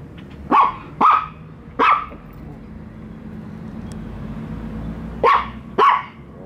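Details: First meeting of the dogs Bico and Faith with a toy dog, one of which never trusted it: three brisk barks, a pause over low background rumble, then two more barks.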